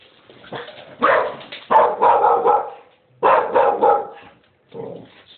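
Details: Dog barking in loud, rough bursts, clusters of quick harsh barks separated by short pauses, recorded close by in a home with people talking nearby.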